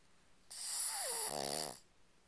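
A Boston Terrier snores with one raspy, hissing breath that ends in a low, buzzing rattle.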